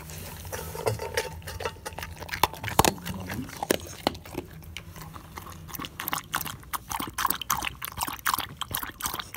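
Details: A dog chewing and biting through different foods, crispy, moist and bone, with wet smacking and crunching that grows denser and faster in the second half.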